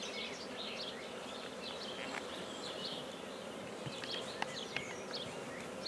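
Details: Humming mass of black bees at a hive being started in Guernay, Côtes-du-Nord, a dense steady buzz overlaid by busier bird chatter and a few sharp clicks near the end.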